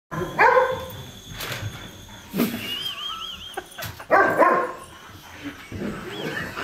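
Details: Poodle barking at a passing helicopter, two bursts of loud harsh barks separated by quieter growly sounds, with a high warbling whistle-like tone and rotor noise in the background.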